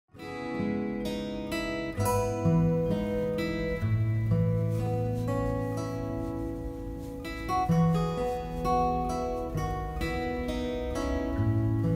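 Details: Plucked acoustic guitar music plays throughout, with no animal voice heard.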